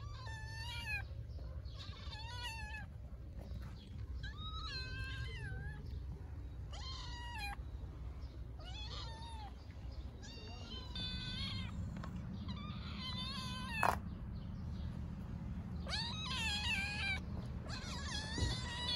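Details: Hungry stray mother cat and kitten in Istanbul calling loudly; a string of about a dozen rising-and-falling meows, some high and thin, spaced every second or two over constant low traffic hum.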